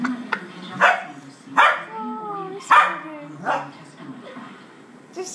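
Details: Play fighting between an adult female dog, four years old, and a puppy of eight weeks: four sharp, noisy barks about a second apart, with a drawn-out tonal whine between them and human voices behind.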